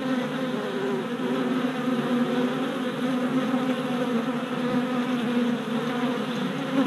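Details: Worker honey bees making orientation flights at a new deep hive four days after package installation, 27 April 2017, filmed on a GoPro Hero Session 5; a steady, dense hum of many wings with a strong low drone throughout.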